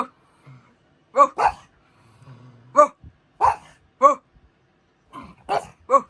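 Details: Pug dog giving sharp, clear barks, mostly singly or in close pairs, repeated every half second to a second, with a faint low hum in the background.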